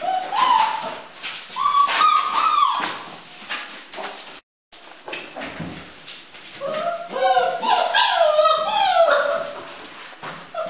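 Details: Five-week-old Dutch Shepherd puppies playing at the BELLA SAMA FCI kennel. Shrill, wavering whines and squeals with bright overtones come in short bursts early on. A longer tumbling run of yelps follows near the end over scuffling and handling noise.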